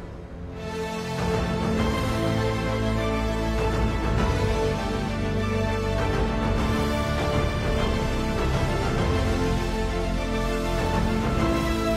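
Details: Upbeat theme music plays throughout, with no animal sounds.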